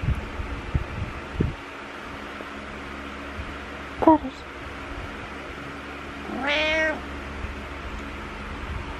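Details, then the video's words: A needy cat named Butters meows in the morning indoors: a short chirpy sound near four seconds, then one loud, drawn-out harmonic meow rising and falling around six and a half seconds, over steady room hum. "Needy Morning Meows"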